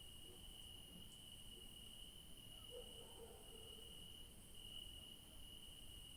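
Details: Crickets in a garden in the evening, at night, give a steady, high, unbroken trill over a low background rumble.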